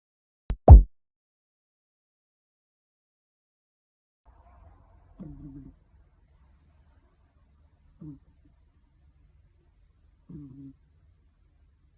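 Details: Sleeping British Shorthair cat with bicolor hachiware markings, snoring indoors: soft, low, breathy snores about every two and a half to three seconds, following a single sharp click near the start, otherwise quiet.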